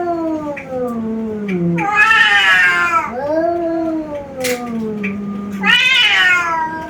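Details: Pair of male domestic cats from Bangladesh fighting: drawn-out low moaning yowls alternate with loud, strained, higher wails that rise and fall, about four cries in seven seconds, trading back and forth.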